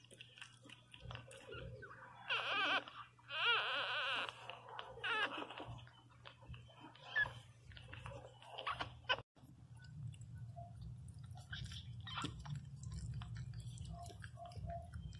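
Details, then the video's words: Newborn Pinscher puppy Teco cries very loudly: dense, quavering high wails between two and five seconds, then sparse squeaks. After nine seconds a broad low rumble and hiss dominate. "Som de cachorro Pinscher 0 ressenacido chorando"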